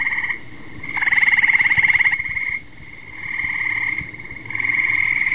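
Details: Tree frog trills, fast pulsed and buzzy, with a louder overlapping caller joining for about a second before the steady trilling resumes after a short pause.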